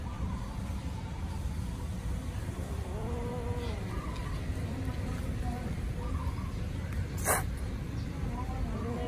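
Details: Hungry kittens cry loudly as they eat and chase each other: drawn-out, bending mews repeat through the middle of the recording, with a sharp noise burst near the end and constant deep background rumble.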